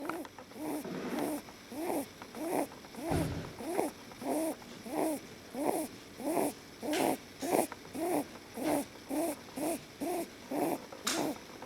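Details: Leo, a pet male lop rabbit, snoring while asleep and fully relaxed in someone's arms; soft nasal snorts repeat steadily, roughly 100 a minute, each a short rising-falling puff, with a person's quiet voice asking whether he is snoring.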